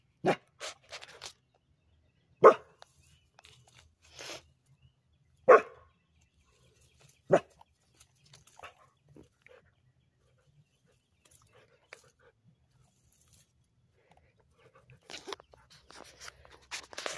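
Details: Labrador Retriever trying to swim, giving short sharp barks spaced a few seconds apart, four strong ones early then quieter, with splashing and rustling at the end.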